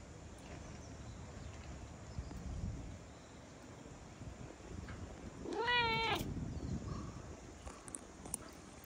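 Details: Fluffy big-headed cat approaching after the rain, calling loudly to be stroked; a single bright, slightly wavering meow midway, amid quiet outdoor rustle and low background rumble.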